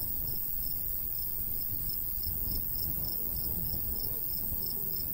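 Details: Crickets in summer countryside by a golden wheat field, a light breeze blowing; high, short chirps repeat evenly and softly over a steady high hiss, with low rumbling wind beneath.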